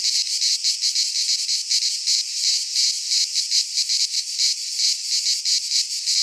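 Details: In a Greek pine forest at midsummer, cicadas keep up a loud shrill drone, pulsing somewhat irregularly a little under three times per second, the high buzz filling the scene alone.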